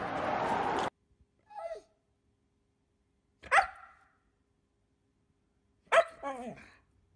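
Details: Dog letting out three short, high yips spaced a couple of seconds apart, each with a brief falling tail, after a burst of loud broadband noise at the start.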